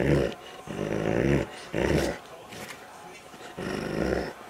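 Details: Doberman, a male, fighting over a rawhide toy while playing indoors; deep rough growls in bursts of about half a second to a second, with pauses between, and a person speaking briefly.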